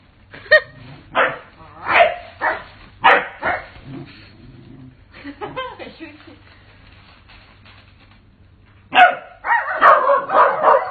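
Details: Corgi barking in a short series of sharp, harmonic yaps spaced about half a second apart, a low steady hum underneath, then a denser burst of louder vocal sounds near the end.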